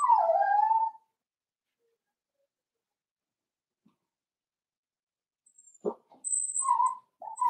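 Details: Indoor pen of four-week-old Cavalier King Charles Spaniel puppies: a short descending whimper opens, then silence, followed by a soft bump, a couple of brief yips and another quick whine.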